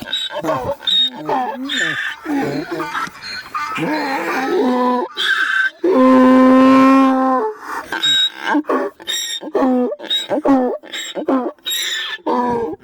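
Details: Donkeys react to a donkey-bray notification sound on a phone, braying in loud, rasping bursts over the steady recorded bray tone and a person's voice; they went hysterical the last time it played.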